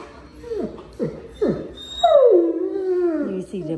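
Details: Tonka, a giant Alaskan Malamute, chatters at the vet's office after a limp vanished: three short falling yelps, then a long wavering howl-like moan that slides downward, with a small indoor room feel.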